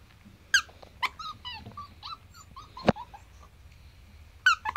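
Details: Ivory white male Pomsky puppy, seven weeks old, giving short high whines that bend up and down, in spaced bursts, with a few sharp clicks and taps between them.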